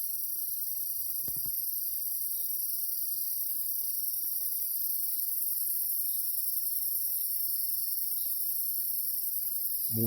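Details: Insects calling at night in the Jamaican countryside under moonlight: a steady, unbroken high-pitched shrill drone holds throughout, with a couple of brief soft knocks and a faint rustle at the very end.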